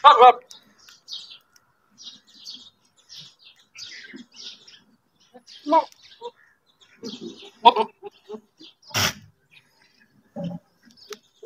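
A goat gives short, wavering bleats between long pauses while small birds chirp in the background.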